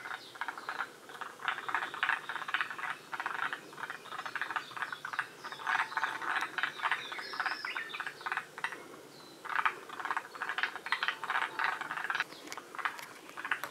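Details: A group of forest green tree frogs at Shiriya in Aomori, Japan, at the northern edge of the species' range. Rapid clicking, rattling croaks repeat in clustered bursts, pausing briefly around the two-thirds point before resuming.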